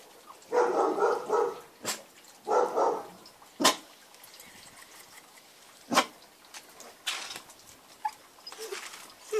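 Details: Newfypoo, rolling on its back and barking: two longer rough, throaty barks early on, followed by scattered single sharp barks every couple of seconds and softer whining sounds near the end.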